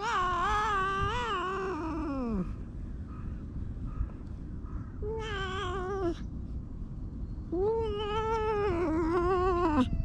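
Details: Stray cats under a bench, stroked as more cats gather: a long wavering meow slides down over two seconds, then a shorter mid-clip meow and a final drawn-out, falling meow, with steady low background rumble.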